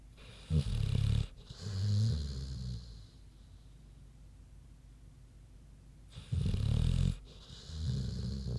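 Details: Queenie, a big pig, snoozing while asleep: deep, rough rumbling breaths in four bursts, two close together, then a quiet gap of about three seconds before two more snores.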